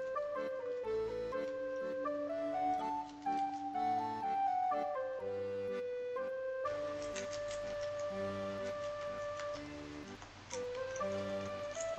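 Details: Upbeat background music carries a flute-like melody with ticking percussion throughout; no animal sound is heard.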